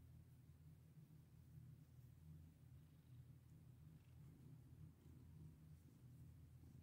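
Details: Cat being petted, producing a loud, even, deep purr that never breaks, with little else audible besides faint background hiss.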